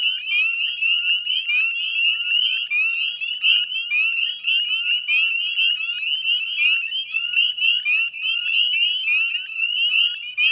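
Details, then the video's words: Massed chorus of northern spring peepers at West Chezzetcook, Nova Scotia, at 9 p.m. dusk on 18 May: shrill rising peeps from many frogs blend into a continuous, pulsing high whistle. "Northern Spring Peeper Chorus"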